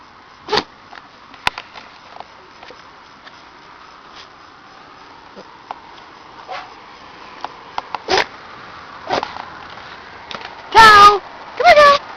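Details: A cow sneezing after playing with a cat named Shadow: soft scattered snuffles and sniffs give way to two loud, sharp, broadband bursts about a second apart near the end.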